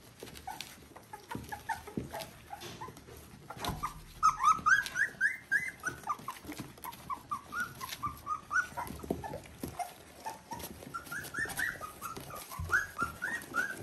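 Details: Three-week-old Border Collie puppies from litter V2, out of Ori and Cru, squeal and whimper in overlapping high, rising-falling cries, some short and rapid, others longer and climbing in pitch, with soft rustling between calls.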